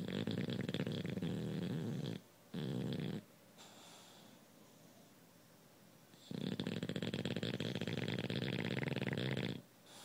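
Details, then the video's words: Bulldog asleep, snoring loudly in long rough rattling stretches, two bursts in the first three seconds, a quieter breathing pause, then another sustained buzzy snore lasting about three seconds. "Bulldog Snoring"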